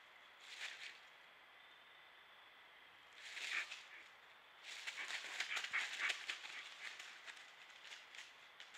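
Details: A coyote, caught on a trail camera in Indiana, gives rough, high yipping bursts to assert dominance, the longest lasting several seconds.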